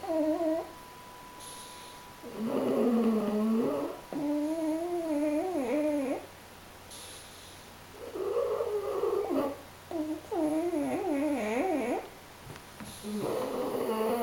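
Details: Two napping dogs, a French Bulldog and a Pug, snore in a steady breathing rhythm: rough, whistly tonal rasps of about two seconds each, separated by quiet pauses, repeating regularly.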